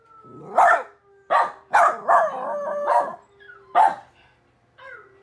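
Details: A pet dog howling indoors: about six loud, wavering bark-howls with rich overtones, some drawn out, ending in a softer falling glide, with short quiet gaps between them.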